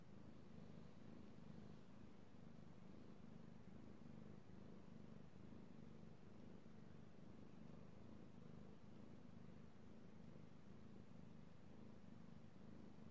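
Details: Male house cat Io purring contentedly as he is stroked, recorded on 16 March 2018; an unbroken low rumble with soft regular pulsation, steady in loudness across the whole stretch.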